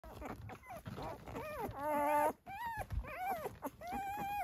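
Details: Six-day-old Dalmatian puppies, born November 17, 2023, on a farm in Acampo, California; several rising and falling whimpering squeals, some long and wavering, one sustained harmonic cry in the middle, over a steady background hum.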